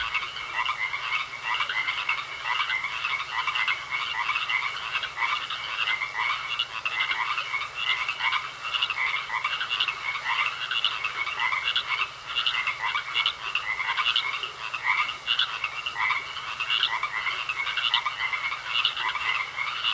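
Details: Frogs croaking in a pond: a dense, overlapping chorus of rapid raspy croaks that never lets up, with a thin steady high whine running underneath the whole time.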